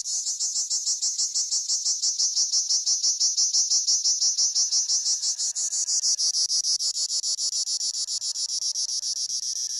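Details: A cricket, recorded while herding honamlı goats, gives a steady, high-pitched pulsing chirp, about three pulses every second; Cricket.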